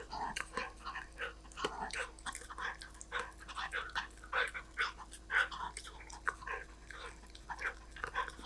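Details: Snack time for a golden retriever, heard as quick, dry crunching bursts, several per second, loud and sharp, with short pauses between bites.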